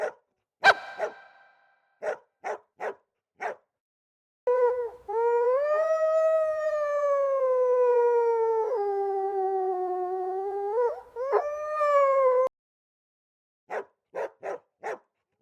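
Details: Golden Retriever puppies give a few quick yaps, then one long, tonal, wavering howl of about eight seconds that dips and rises again. A final burst of short barks follows, with silence between calls.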